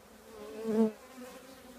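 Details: Honey bee from a colony housed in an old trash can: one bee swells loudly past over a background hum, its buzz peaking and fading within about a second.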